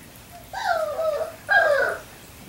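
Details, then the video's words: Three-week-old Labrador Retriever puppies: two clear descending whines, each about half a second long, tonal and falling in pitch, the second slightly louder, in a quiet indoor setting. "Labrador Retriever Puppies O1 week 3"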